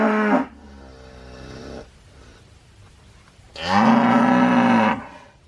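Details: Cow calling: a moo tail at the start, a softer drawn-out lowing tone after it, then a loud, steady, harmonic moo of over a second near the end.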